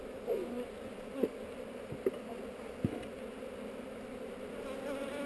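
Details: Honey bees in a hive on heather, recorded on a GoPro during a hive inspection: a steady low droning hum with a brighter overtone, broken by a few sharp clicks and taps from handling the frames.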